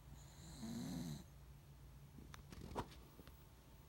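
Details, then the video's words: Sleeping dog snoring loudly beside a family member: one low, rasping inhaled snore with a slight rise and fall in the first second, then near-quiet with a few faint clicks and taps. "Snoring dog"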